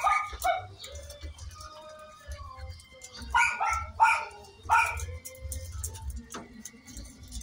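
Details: Miniature Pinscher during a natural mating stud session; short harmonic whines and yelps near one kilohertz come in clusters around three to five seconds, over a low steady hum and faint background rustling.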